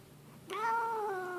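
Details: Grumpy pet cat indoors, yowling out of the blue: a sudden drawn-out, rising-then-steady moaning wail lasting about a second, tonal with rich harmonics, over quiet room background.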